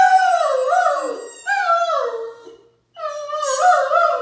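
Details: Mikey, a Great Dane, howling with delight at his favourite squeaky toy ball: three long wavering howls with rich harmonics, each sliding slowly downward, the last rising again, separated by short pauses indoors.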